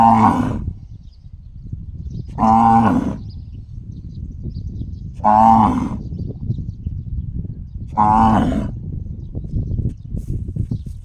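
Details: Cow giving a funny gong-like call: four short, resonant, bell-toned blasts about every three seconds, separated by quieter low rumbling background noise.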